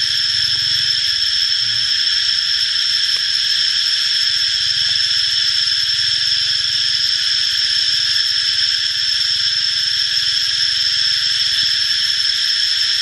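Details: A cicada drones in a loud, steady, high-pitched buzz that never breaks, calling while spraying fluid ("cicada rain").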